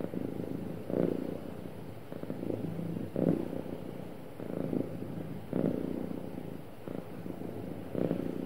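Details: Contented domestic cat giving a smooth, happy purr, a deep vibrating drone that rises and falls in gentle waves about every second or so, with no other sounds present.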